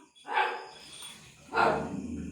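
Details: Domestic dog barking at an empty street for no reason as its owner tries to calm it. Two sharp, loud barks about a second apart, with faint background hiss between them.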